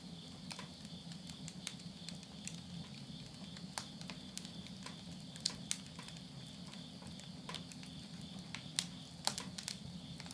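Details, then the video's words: Countryside insects calling at midnight at the end of summer, September 2020, in Yurihama, Tottori, Japan: an even, continuous high-pitched trilling drone beneath busy, patter-like crackling from a wood stove fire indoors. "mid night the voice of insects"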